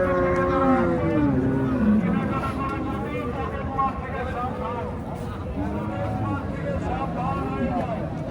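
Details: Friesian cow at a cattle market in Bangladesh, giving a low, drawn-out moo that sinks in pitch over about two seconds, set against steady crowd chatter and nearby voices talking throughout.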